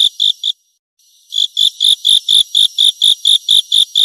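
A grasshopper gives a steady series of high, buzzy chirps, about two each second.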